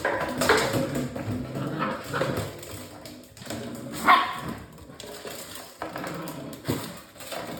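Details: Litter of six-week-old English Springer Spaniel puppies giving scattered short whimpers and yips at irregular intervals, with a steady broadband room hiss underneath.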